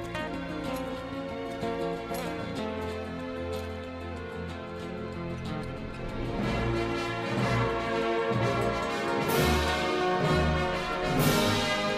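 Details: Orchestral theme music with steady percussion fills the whole stretch, no animal voice.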